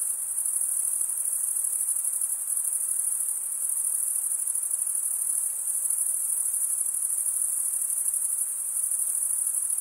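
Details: Crickets singing at night in summer forest, an unbroken, very high, rapidly pulsed trill sustained for the whole stretch with only gentle fluctuations.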